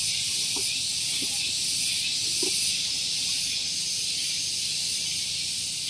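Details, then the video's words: Cicadas singing on a morning at Gunung Geulis, Bogor, West Java, close to a vehicle parking area: a loud, shrill, continuous high buzz with a fast pulsing shimmer, plus a few faint short low sounds in the background. "Relaksasi Suara Tonggeret || Santuy Pagi Ditemani Suara Tonggeret"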